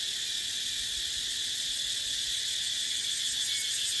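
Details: Dry-season chorus of cicadas in Thai dry dipterocarp forest: an unbroken, even, high-pitched buzzing wall of sound across the whole stretch, slightly pulsing, with faint wind.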